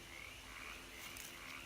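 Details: Spring peeper (Pseudacris crucifer) chorus at dusk on a rural Kentucky homestead in spring, before storms: many high, piping peeps blending into a steady shrill ringing.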